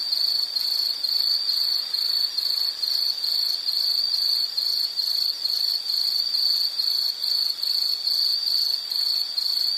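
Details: Insect calling steadily in a nature soundscape: a high, shrill chirp pulsing rapidly and evenly, about two pulses a second, with a faint higher buzz above and no other clear sounds.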